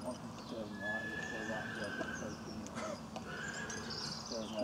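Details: Shire horse being walked around a training area, giving a wavering, harmonic whinny in the first second, with further shaky tonal calls later, while a person talks nearby and a faint high whistle-like tone runs through.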